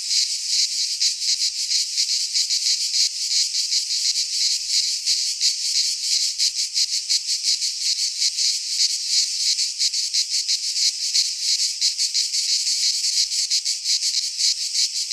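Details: Cicadas singing in midsummer in a Greek pine forest: a dense, shrill, unbroken buzzing chorus, pulsing rapidly and high-pitched, with no other sounds.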